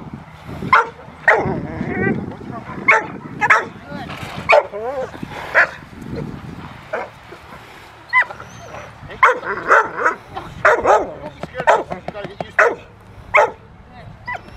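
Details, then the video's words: Rottweiler named Willie v Schwarzerwald playing in the rain with a helper at the Victoria Rottweiler Club, December 13, 2020; sharp repeated barks come in bursts throughout, mixed with human voices. "Rottweiler - fun in the rain"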